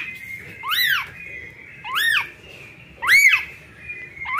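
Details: Calling for its mother, a newborn kitten repeats loud, piercing mews that climb and drop in an arc, three cries in four seconds over a steady faint hum.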